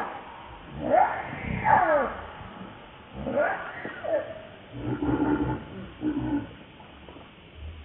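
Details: Baby macaque named Lucie giving arching, tonal cries that rise and fall, in about four bursts spread over eight seconds, with softer lower calls between them and a faint rustling background.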